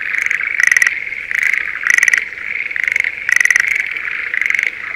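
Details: Breeding-season Schlegel's green tree frog in a spring rice paddy near Sendai gives short, rattling pulsed trills over a steady, high chorus.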